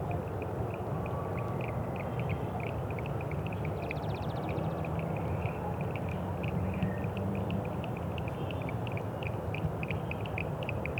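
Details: Toad, locally called cutín, giving short clicky notes in quick succession, several per second, fairly high-pitched and steady, over a constant low rumbling background.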